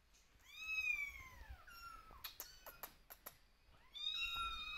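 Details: Kittens crying out for their mother as she watches from a distance; a long falling meow, then a flatter one, a run of sharp clicks and taps, and a final rising meow.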